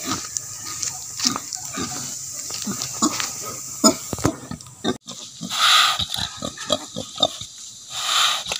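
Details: Breeding native pigs on a farm: choppy snuffling grunts repeated irregularly through the first half, then a pause followed by louder, longer rasping grunts and squeals, with some knocking sounds.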